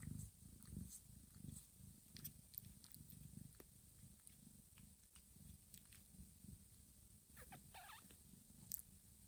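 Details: Mother cat Johanna purring as she licks her sleeping kittens' heads, backs and bellies indoors; low pulsed rumble with faint wet licking clicks and a brief squeak near the end.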